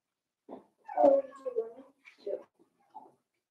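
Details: Four-week-old Cavalier King Charles Spaniel puppies from Daisy's litter in an indoor pen: a wavering, harmonic whine of nearly a second, followed by a few short soft grunts and squeaks.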